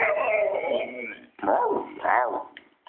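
A Siberian Husky gives wavering, yodel-like howls that rise and fall in pitch, sounding almost like talking.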